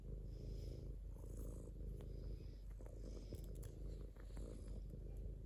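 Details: Domestic cat purring steadily, a low continuous rumbling vibration with a faint airy hiss and occasional soft clicks.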